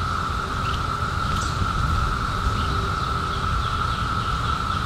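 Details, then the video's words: Cicadas in 2021, just emerged from a 17-year hiding: a steady, unbroken drone held at one pitch throughout, over a constant low rumble of background noise, with a faint brief chirp near the middle. "CICADAS 🌿 Sounds"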